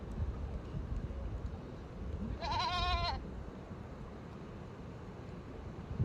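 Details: Goats of a village returning home, one giving a loud trembling bleat of under a second with a strong vibrato, set against constant low-pitched background rumble.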